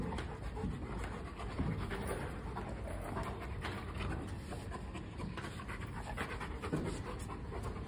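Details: Rottweiler panting while searching for his ball indoors in India, steady rapid breathy panting throughout with low rumbling background, a woman urging him in Bengali just before and after.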